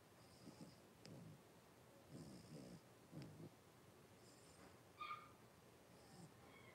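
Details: Five blenheim Cavalier King Charles Spaniel puppies, born at New Year, in an indoor puppy pen with their mother Paris on 26 January 2023; soft rhythmic snuffling breaths in short bursts, then one brief high squeak near the end.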